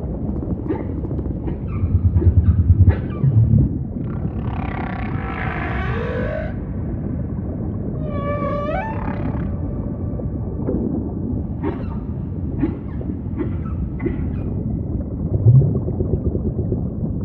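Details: Humpback whale singing amid ocean ambience: scattered brief pulsed units, a broad buzzy roar in the middle, then a rising swept wail with harmonics, over a steady deep underwater rumble with occasional louder low thumps.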